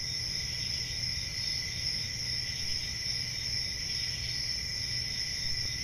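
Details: On a summer night in the forest, crickets make a constant high, even trill with a lower ringing tone beneath, never pausing, while a gentle low rumble sits underneath.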